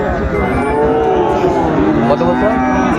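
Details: Sahiwal breed bull cattle at a busy cattle market where Dhaka farmers are buying, 14 February 2025; a brief lowing moo with a harmonic tone rises out of the crowd noise and nearby voices.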